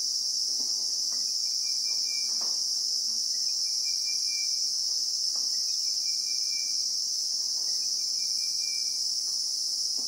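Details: Unbroken shrill buzzing of Christmas beetles in the bushveld of South Africa, captured in real time; the intense high whine never pauses, with soft short bird whistles appearing about every two seconds in the background.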